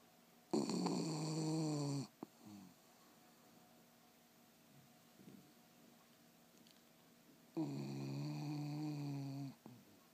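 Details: Loreto, a dog, snores in deep sleep: two drawn-out, harmonic, rattling snores about seven seconds apart, soft breathing and faint clicks in between, indoors.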